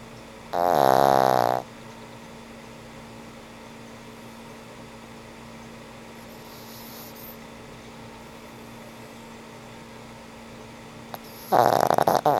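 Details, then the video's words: Frank N. Stein, an old pug, snores while asleep: two loud, rough, rattling snores about ten seconds apart, with quiet breathing and a steady electrical hum between them. "Sweet old pug snores"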